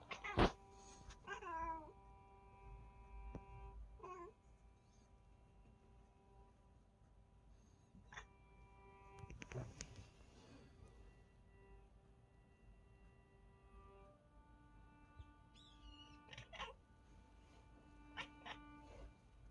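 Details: Indoor Bengal cat making odd chirping, trilling calls at the sight of a bird outside: short bursts with rising and falling harmonics near the start, around four seconds, and again near sixteen seconds. A steady hum runs underneath.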